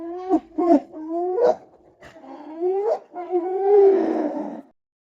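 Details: Hyena giving a run of rising, whooping notes that sweep upward several times with short gaps, ending in a longer, harsher and noisier cry.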